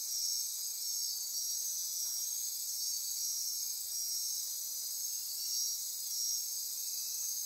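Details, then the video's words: Dense nocturnal insect chorus at midnight in Costa Rica's rainforest near Corcovado National Park on the Osa Peninsula; steady high-pitched shimmering buzz and trilling, with pulsing whistled tones layered above, continuous throughout. "Midnight Insect Chorus"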